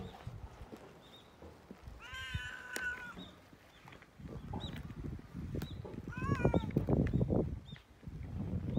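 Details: Cat being petted, letting out a drawn-out, wavering meow early on, then a shorter falling meow later, against heavy low rumbling and rustling from handling and rubbing fur.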